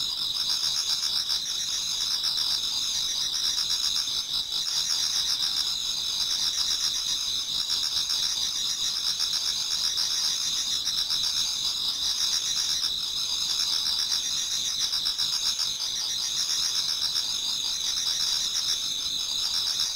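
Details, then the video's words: Many autumn insects singing toward dawn in a Japanese garden. A dense, continuous high chorus of trilling pulses in two bright bands, steady and unbroken throughout. No other clear sounds. "Autumn Insects voice Towards dawn"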